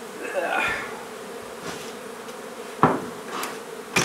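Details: During removal of a honey bee hive from an old Donna, Texas home, a faint drone runs beneath loud knocks, scraping and brief rustling noises of the work.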